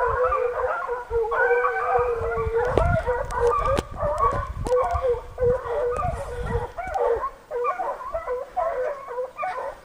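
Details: Chasing a deer, a pack of six American foxhounds cries out in a dense, unbroken tangle of drawn-out wavering bays and howls, voices overlapping throughout, with scattered clicks and low rumble beneath.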